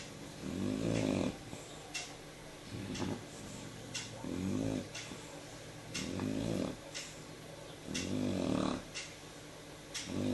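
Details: Shar Pei dog asleep in the evening, snoring in a small room: rough, low rumbling breaths in bursts about every two seconds, each swelling then fading, with quieter pauses between.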